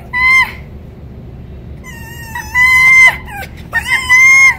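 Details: Female red fox Winter, rescued from a fur farm in November 2019, whining and wagging her tail when petting stops; three long, even, high-pitched harmonic whines separated by brief quiet gaps, indoors.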